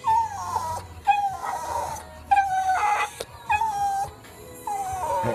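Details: Pet Miniature Schnauzer whimpering to plead for a walk: a series of high, thin whines near one pitch, each lasting under a second and repeated about every second, some with wavering, warbling endings.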